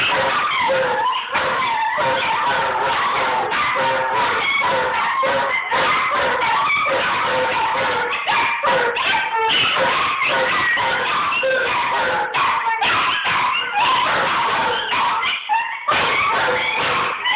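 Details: Scottish Deerhound joins other dogs howling in Ballymoney, recorded with an Android phone; a steady, layered group howl of sustained, wobbling tones runs for the whole stretch with brief dips.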